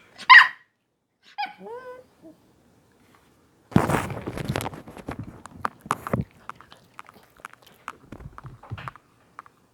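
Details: Puppy Smile at mealtime: one sharp, high yelp, then a short, wavering whine that falls in pitch, followed by steady crunchy chewing and munching that thins out into scattered bites.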